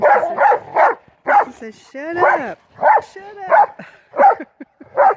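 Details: Two pit bull mastiff brothers playing ball in the snow during the 2016 Maryland blizzard, barking in rapid, uneven bursts mixed with a drawn-out rising and falling whine, while a man talks in the background.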